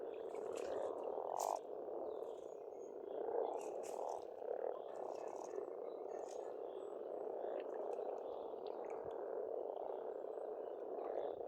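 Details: Spring frogs calling together at an Estonian farm pond, a thick unbroken mass of rattling croaks that swells and settles, with occasional brief bird notes and sharp high chirps breaking through.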